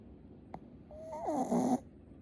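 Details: Sleeping Shih Tzu, loud snoring approached bit by bit: a brief click, then a nasal whistling snore that slides and wavers for about a second before ending in a harsher rasp, in a quiet small room.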